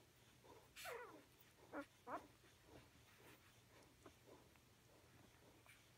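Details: Bella, a dog with her pups, heard as a few sharp descending whines near the start, then fainter scattered squeaks over a low steady hum indoors.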